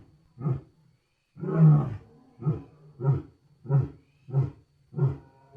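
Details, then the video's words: Lion giving a roaring bout: one big deep roar followed by a steady series of short, low grunts repeated roughly every half second. "Gerçek Aslan Sesleri Yüksek Kalite | Lion Sounds in High Quality"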